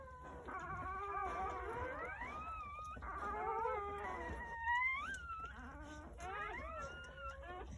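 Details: Soft, thin crying of newborn Jindo puppies born in a litter of nine on New Year's Day in the countryside: drawn-out whines climbing upward, some short squeaks, with quiet room noise underneath.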